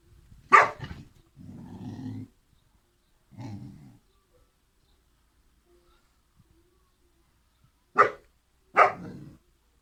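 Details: Kangal puppies, two siblings, giving a few short sharp barks near the start and twice near the end, separated by low rumbling growls and long silent gaps.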